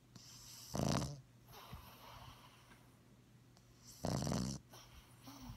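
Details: Two loud, raspy snores about three seconds apart from Ladybug, a Bugg puppy sleeping soundly with eyes open and tongue out, with quiet breathing between them.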